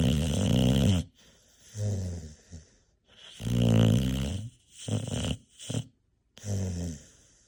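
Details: Lumina, a rescue bully breed puppy, snoring while she naps indoors; deep, rumbling inhaled snores of about a second each, separated by short silences, with a couple of brief snorts in between.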